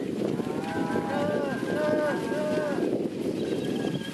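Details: Several cattle from a large sale herd of Red Angus heifers and mostly Angus and Red Angus cows moo over one another, with arching, drawn-out calls and a steady rough background rumble.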